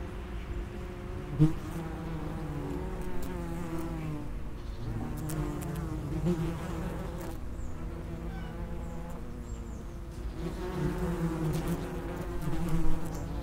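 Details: Common wasps at the entrance of an underground nest: overlapping droning buzzes of several insects, steady harmonic hum rising and falling in pitch as wasps fly in and out, with brief clicks.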